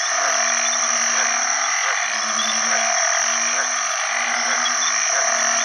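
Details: After heavy rain marking the start of the rainy season, banded bullfrogs call for mates: low droning moans roughly every second, each with a brief upward slide, layered over a dense, steady shrill chorus of frogs and insects.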